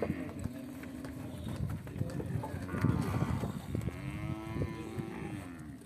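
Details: Beef cattle from an Angus and Nelore cross, a long wavering moo around the middle and end amid heavy clattering and trampling sounds of the herd.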